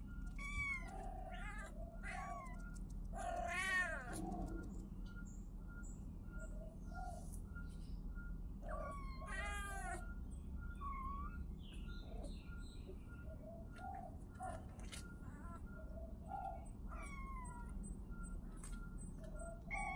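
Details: Several kittens meowing in frequent, overlapping high arched cries, some long and wavering, over a steady low hum and a constant faint tone.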